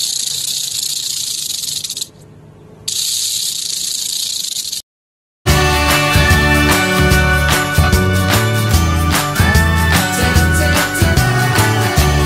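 A snake hisses in two long, steady bursts of airy, high noise with a brief pause between them. After a moment of silence, busy rhythmic music plays for the rest of the recording.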